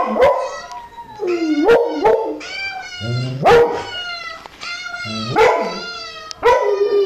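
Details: Domestic dog answering a puppy, giving repeated yowling whines and yelps about every two seconds, each sliding up then down with strong overtones, mixed with a few short barky notes.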